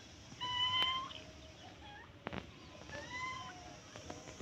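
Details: A white cat running away gives short, clear, tonal meows, one near the start and a softer pair later, over low background hiss and a brief sharp knock.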